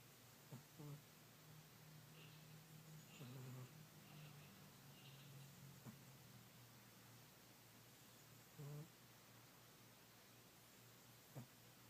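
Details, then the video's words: Kitty, a fat old male house cat, sleeping and dreaming. Low buzzing snores drag on, broken by soft clicks and a few irregular short snorts, with a quiet indoor background. "My Old Fat Cat Snoring"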